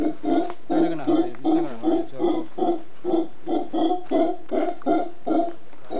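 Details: Howler monkeys on Volcán Concepción, Ometepe Island, Nicaragua, giving a steady series of deep, rough grunts, about two or three per second, each one hoarse and throaty, continuing without pause for several seconds.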